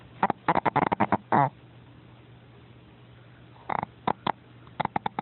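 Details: Paco, an 8 lb pet dog, snoring loudly while asleep: clusters of rapid snorting, buzzy pulses open the recording, a long quiet gap follows, then further short bursts of snorts near the end.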